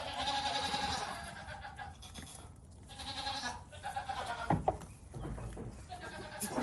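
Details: Several farm goats and kids bleat in turn: a sustained, quavering cry opens, then shorter, sharp nasal bleats cluster in the second half amid steady barnyard noise.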